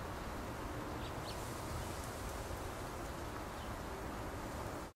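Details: Swarming bees settled on a garden bougainvillea, recorded up close: a continuous thick low hum, even and unbroken, blended with a rushing hiss like rustling, ending abruptly.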